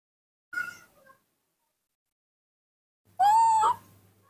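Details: A hand-reared baby monkey wanting its morning milk gives one short squeak and then a loud, drawn-out whine that wavers and rises at the end, rich in harmonics, with faint low rumbling underneath.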